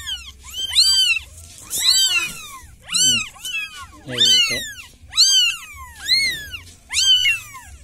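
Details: Village cat crying for help with loud, high-pitched meows, each rising then falling in a clear arch, given roughly once a second in a steady series with short quiet gaps and a faint low hum.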